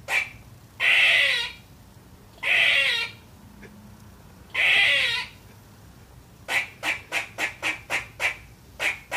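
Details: A young female squirrel barks at nothing: three drawn-out rasping barks spaced evenly, then a fast run of about ten short clipped chucks.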